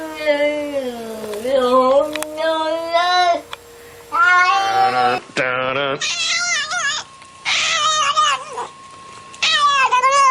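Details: Indoor cat making odd, loud, drawn-out wavering calls, some rising and falling in pitch, broken by short pauses.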